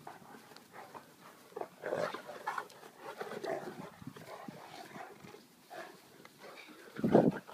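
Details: Neapolitan Mastiff and St Bernard dogs together, giving breathy, rough bursts of panting and snorting at irregular intervals, with one louder, harsher huff near the end.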